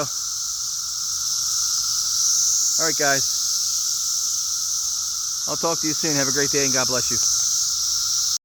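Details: Cicadas in plague-like numbers fill the air with a constant high, sizzling drone; two short bursts of human speech break in midway and later.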